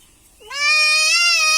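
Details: Young goat being castrated gives one long, loud, nasal bleat that rises at the start and then holds steady, rich in harmonics, after a quiet moment.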